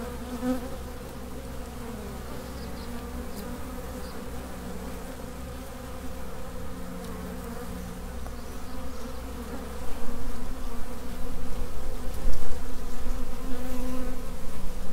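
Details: Swarming honey bees, workers of a colony whose queen has left the original hive. A dense, continuous droning buzz holds one steady pitch with layered overtones and swells louder in the last third.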